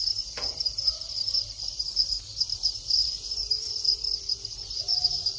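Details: Farmed Thai crickets breeding, males calling: a constant shrill pulsed trill, with a brief sharp knock early on, soft tonal squeaks and a faint low hum in the background.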